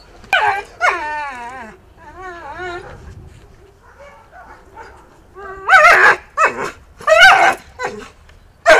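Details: Akita Inu dog in re-education with a canine trainer for aggression with biting: a series of high, wavering harmonic whines, then several loud, harsh barks in quick bursts toward the end.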